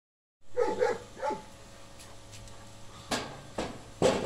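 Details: Dona od Badrova, a 7.5-month-old female Tornjak dog: three short, yelping barks in quick succession at the start, then quiet indoor room sound with a few sharp knocks.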